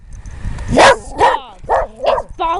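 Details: A domestic dog on a forest walk near a creek gives five sharp, mid-pitched barks in quick succession, barking for protection.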